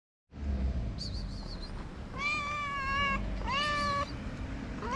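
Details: Tabby street cat in Morocco, one of many abandoned cats, gives drawn-out harmonic meows, two long level cries around the middle and a rising one near the end, over steady low traffic rumble and faint high squeaks.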